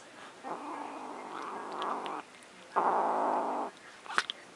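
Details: Luna, a pet cat, guarding her macaroni and cheese with two sustained, rough growls: a long one of about two seconds, then a shorter, louder burst after a pause, with faint clicks at the end.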